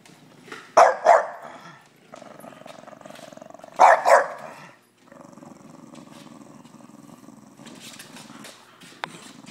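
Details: Masita, a three-year-old female English Bulldog, protesting at being filmed: two loud, sharp double barks about three seconds apart, between them a low, steady grumbling growl that carries on through the rest of the recording.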